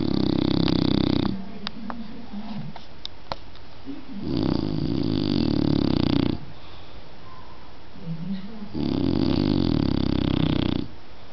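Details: Sleeping dog snoring steadily: three long, harsh, rasping snores, each lasting about two seconds and spaced about four seconds apart, with quieter low rumbles and faint clicks in the gaps, indoors.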